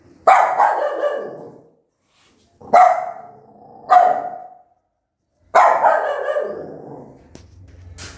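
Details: Angry mother dog barking loudly at her newborn puppies: four harsh, sharp barks with noisy, drawn-out tails, spaced irregularly with short silences between them.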